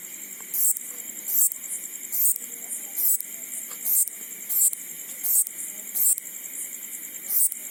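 A grasshopper at night makes high, dry, rasping bursts repeated a little less than once a second.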